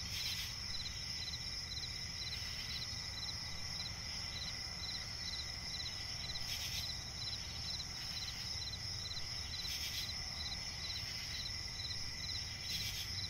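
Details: Chirping crickets fill a night swamp forest: a constant high-pitched trill layered with rhythmic lower chirps, broken every few seconds by short rasping flourishes, over a gentle low ambient murmur.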